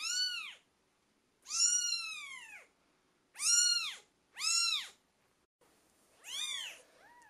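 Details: British Shorthair kittens aged twelve days: five loud, high, arched mews with short gaps, the last joined by a softer, lower cry beneath it.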